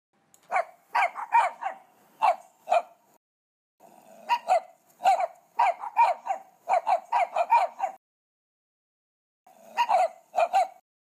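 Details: Several puppies, eight in all, yipping in quick clustered bursts separated by silent gaps of about a second or more.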